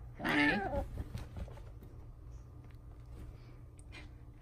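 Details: Two pet cats at a window, scratching and pounding as they try to reach a squirrel that keeps eating; one short, loud meow near the start, then quiet indoor room noise.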